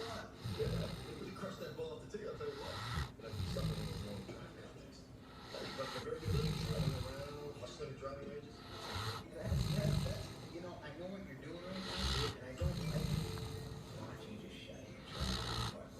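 A Great Dane snores in deep, rumbling breaths that come roughly every two to three seconds.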